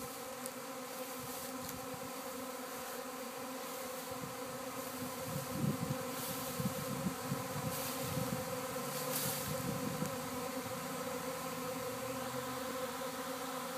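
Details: Swarm of honey bees at a house in Arcata, traveling and landing near a fig tree; a dense, steady hum of many wings with stacked low tones, flickering and swelling slightly, with brief clicks and soft voices nearby.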